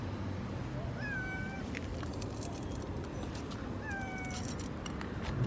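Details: Orange, white and black cats, many together; two drawn-out, slightly falling meows with clear harmonics, about three seconds apart, over a steady low rumbling background with faint clicks.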